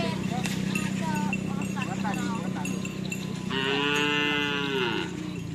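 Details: Madura cattle at karapan sapi practice, Asemanis field, Pamekasan: shouting human voices at first, then one loud, sustained, harmonically rich moo of about one and a half seconds over a constant background hum.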